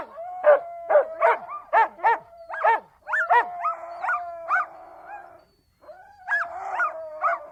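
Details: Siberian Huskies barking in a rapid series of sharp, evenly spaced yaps, then shifting into rising, wavering howls and yodel-like notes after a brief pause.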